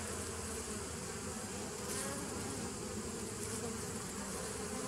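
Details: Honey bee hive sound from 27 September 2018: an unvarying dense hum with a deep droning base and airy hiss above, holding level for the whole stretch.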